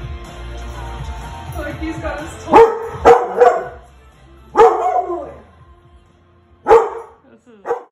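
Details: Male Golden Retriever, excited, reacting to seeing himself on screen. Over a music bed he gives short, sharp woofs, a quick cluster of three followed by two more spaced a second or two apart.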